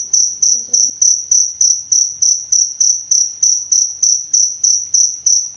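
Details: Cricket chirping, recorded for training and soothing songbirds in Indonesia: loud, high, pure-toned pulses repeated steadily about three times a second, each chirp fading quickly, with a brief faint low sound near the start.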